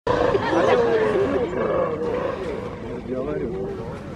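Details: Black-and-white ruffed lemurs at Novosibirsk Zoo call back and forth in a roll-call, trading loud, harsh, wavering calls with people talking nearby, on 14 September 2019.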